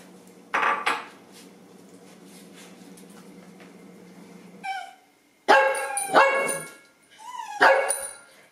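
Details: Dachshund barking and whining for breakfast indoors: a steady low hum, then loud, sharp barks with a short curling whine between them, and dishes clattering.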